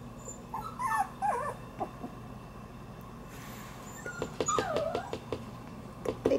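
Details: Shiba Inu puppy born January 6, indoors on its third day in the room and just beginning to move around; high, wavering whimpers come in short bursts, rising and falling, with a few soft clicks over a steady indoor hum.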